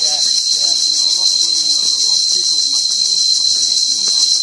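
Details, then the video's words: Cicadas singing loudly in tall forest near durian and mangosteen trees on a hike on Koh Samui, Thailand, on 5 March 2023; a steady, unbroken high-pitched shrill drone fills the recording while a woman speaks French over it. "et là, vous pouvez entendre les cigales qui donnent"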